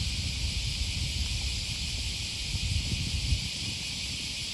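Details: In Osaka, Japan, along the Okawa River near Sakuranomiya Park on an August 2020 morning, cicadas keep up a continuous shrill hiss, while heavier low rumbling and occasional thuds, like footsteps, sit below it.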